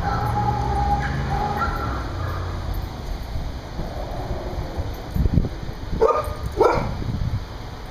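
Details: Big dogs at play outside, recorded 7.5.10; a few tonal whines early on, then sharp bark bursts near the end, over a constant low hum.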